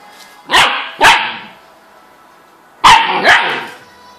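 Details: Frightened dog barking at a laptop: four sharp, harsh barks in two pairs, about half a second apart, with a pause of nearly two seconds between the pairs.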